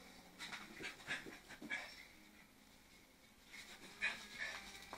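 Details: A Lhasa Apso pants and snuffles in quick, breathy bursts while a pup and an adult play.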